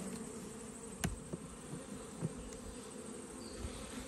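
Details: Quiet, even drone of honey bees from an open weak hive during autumn inspection, with frames of brood and pollen being checked; a few soft clicks and taps from handling interrupt the constant hum.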